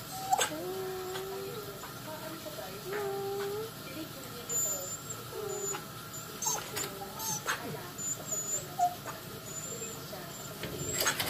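A Siberian husky gives a run of high, wavering whines and yowls that bend up and down in pitch.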